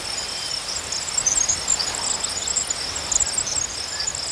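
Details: Dense chorus of crickets: a steady high chirping band overlaid by many shrill, scattered higher chirps from several callers, continuous across the whole stretch with soft outdoor hiss.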